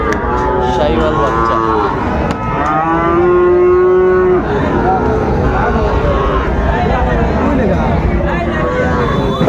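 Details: Sahiwal bull calves at Raniganj market in Dinajpur on 19 August 2024: scattered short moos, then one long steady level moo lasting about a second and a half, with busy crowd talk throughout.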